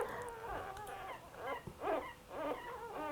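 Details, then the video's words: Several week-old mini Australian Labradoodle puppies (sable and caramel, litter of 7, with their mother), recorded on Canadian Thanksgiving Day, "talk" in thin, rising-and-falling overlapping squeaky whimpers; this talkative litter objects when their mother gets up or resettles. "so you can hear the puppies are talking [Music]"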